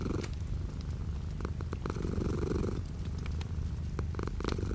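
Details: Cat purring indoors while light rain falls outside the window: continuous deep rumbling purr with one rising and falling breath cycle, crisp raindrop clicks sprinkled through.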